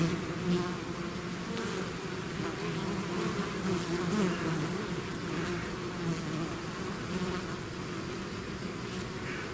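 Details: Bees swarm out of the hive in a steady, deep hum of countless wings, the drone swelling and easing slightly while nearby individuals whine past in short bursts.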